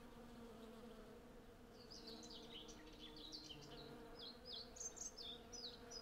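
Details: Hundreds of western honey bees working a blossoming cherry tree for honey, recorded on a Zoom F6 with a Sennheiser MKH 8040. A thick, steady drone of buzzing continues throughout, with scattered high bird chirps joining in the second half.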